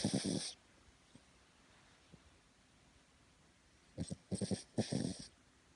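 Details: Cavalier King Charles Spaniel napping on its owner's belly, snoring indoors: a short raspy snort at the start, near silence, then a cluster of four quick rough breathing bursts toward the end.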